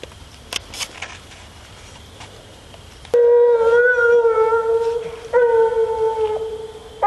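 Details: Female Bluetick Coonhound out coon hunting. After about three seconds of quiet outdoor background with faint insects, she gives long, steady, mid-pitched bawling howls: one drawn-out note, a short break, then another sustained howl.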